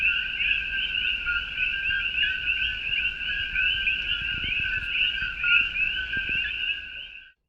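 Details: Coqui frogs, native to Puerto Rico and now heard in Hawaii, with males calling loudly at night: a dense, unbroken chorus of overlapping two-toned chirps, a lower and a higher note merging into a steady ringing drone for about seven seconds.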